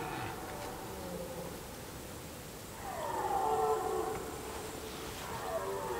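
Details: A red deer stag gives a drawn-out, falling roar during the rut, heard up close from a hide among reeds.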